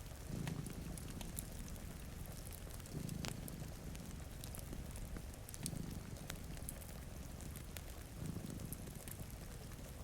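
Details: Low purring from two sleeping cats beside a rainy window rises and fades in four gentle waves, mixed with crackling fire snaps and the wash of rain.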